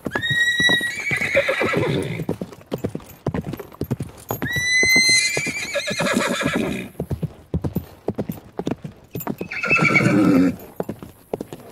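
Horses give high, shaky whinnies that waver and fade, repeated three times across the recording. A fast, rhythmic drumming of hooves on hard ground runs beneath the calls throughout.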